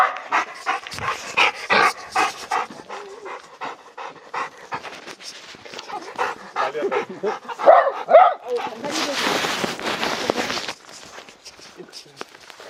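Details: Labrador Retriever hiking a snowy Gangwon-do mountain in a late-March blizzard, breathing in steady rapid rasping pants for several seconds, then softer breaths and rustling, followed by a burst of broadband noise from wind or movement.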